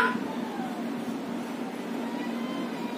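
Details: Adopted domestic cat playing with a pair of companions indoors; a short, falling, tonal meow opens the clip, followed by faint, drawn-out whining tones over steady low room hum.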